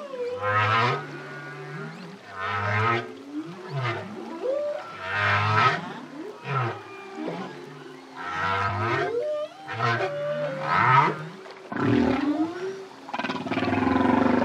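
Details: Lone male humpback whale song. Rhythmic phrases of deep whoops follow each other about every one and a half seconds, mixed with bubbling bursts and higher moaning tones toward the end.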